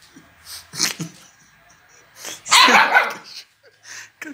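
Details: Pandora, a Siberian Husky puppy, at play: short, bright yips and barks come in bursts, a brief one near the first second and a louder, longer run midway, with quiet gaps between.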